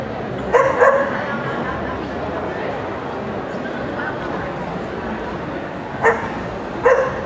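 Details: Toy Poodle at an FCI International event: a pair of short, sharp yapping barks near the start and two more about six to seven seconds in, over a steady murmur of crowd noise and voices.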